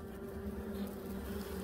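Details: Short burst of native Korean honey bee hum during a hive inspection before early swarming; a steady low drone carrying a thin, wavering wing whine throughout.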